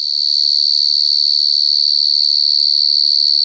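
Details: Wild cricket calling very loudly: one continuous, piercing high-pitched trill held without a break, with a fine pulsing texture. A brief faint lower tone sounds near the end.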